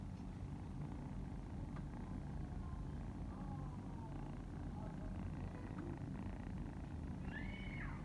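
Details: Domestic cat purring while kittens nurse from their mother: a steady low rumble throughout, with faint thin squeaks and a brief high rising-falling mew near the end.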